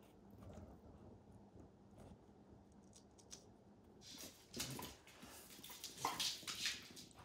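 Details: Max the dog tearing apart a baseball hide: quiet shuffling at first, then bursts of sharp crunching and tearing clicks from about four seconds on, irregular and bright.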